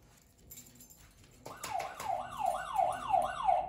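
A beagle lets out a wavering, siren-like bay, rising and falling about three times a second, demanding dinner.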